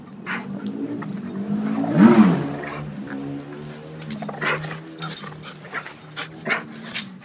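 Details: Wrestling in play, Duke, a 7-year-old blue/red pitbull, and Lucy, a 7-month-old German Shepherd, trade deep rumbling growls; a louder, higher growling burst erupts near two seconds, then the rumbling continues over scuffles.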